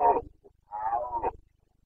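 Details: Carpathian red deer stag in rut in Bucovina, Romania, September 2022, giving a short harsh grunt followed by a longer, drawn-out rasping roar with a steady throaty tone.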